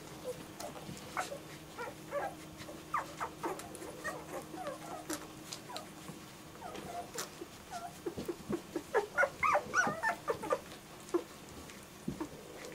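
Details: German Shorthaired Pointer puppies whimpering and yipping, short squeaky calls tumbling over one another in quick succession, growing louder and denser toward the end, with faint clicks and knocks behind.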